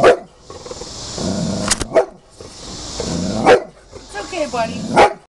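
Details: Agitated, huge Bulldog upset by a picture, giving single harsh barks roughly every one and a half seconds, with a human voice talking in the gaps between barks.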